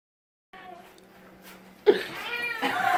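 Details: Domestic cat pestering its owners indoors. After a soft, steady tone, a loud burst gives way to a bending, drawn-out meow with curved harmonics, overlapping human voices in a small room.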